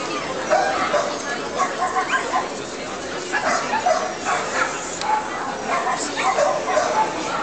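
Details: A Cairn Terrier gives short, sharp yapping barks over people talking at an international dog show in Nitra, Slovakia, on 24 February 2013.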